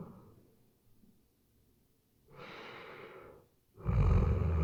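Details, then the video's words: Weimaraner asleep, breathing softly and then giving a louder airy exhale, ending with the start of a deep rumbling snore; RODE NTG3B microphone recording. "Как спит веймаранер"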